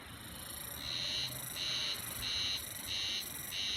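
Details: Japanese spring cicada at Yudanaka Onsen, Yamanouchi, Nagano, recorded 9 June 2021: shrill buzzing bursts pulsing about twice a second in a steady alternating rhythm, over soft constant background noise.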